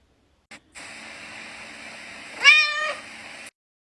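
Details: Domestic cat giving one short meow, a brief harmonic call that swoops down and levels off, heard over a steady indoor hum after a soft click.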